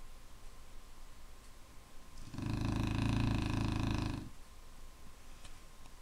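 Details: A single long, loud, rattling snore from a Clumber Spaniel lasts about two seconds, rich and buzzy with strong low rumble, set against quiet room tone and a faint steady hum.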